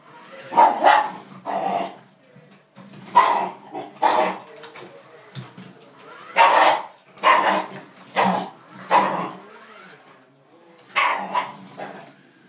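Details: Dog against a jeep, barking sharply and repeatedly, roughly one bark per second in short runs with brief pauses.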